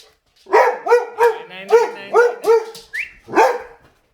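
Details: Boxer dog barking at a vacuum cleaner indoors: a rapid run of about six loud, harmonic, arch-shaped barks spaced roughly every third of a second, ending with a final bark after a brief pause.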